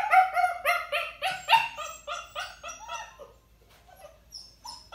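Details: Puppy left in a crate and ignored, vocalizing from crate anxiety or demanding behaviour: a dense run of yelping barks with stacked harmonics, then fading into sparse thin whines.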